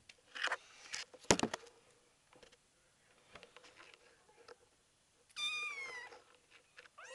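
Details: Indoors, the 5-week-old kitten Betty, keen to play, gives one high downward-sloping meow after loud knocks and handling noises, with a second call starting at the very end.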